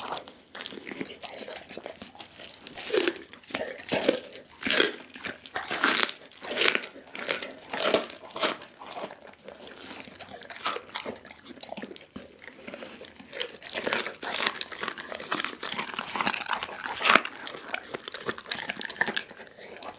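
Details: Dougie, a pit bull, crunches through a whole raw chicken indoors; dense bursts of bone-cracking bites and chewing repeat rapidly, louder in the first half, then steady gnawing continues.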